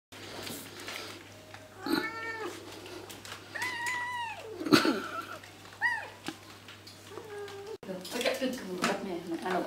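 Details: Kitten that will not share its food with others, eating homemade cat food of rice and fish, giving several drawn-out, wavering meows, some rising then falling, amid a person speaking and household clatter.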